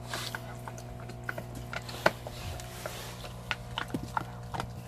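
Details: A large Belgian Malinois eating a cow bone, crunching and gnawing in sharp, irregular cracks and clicks.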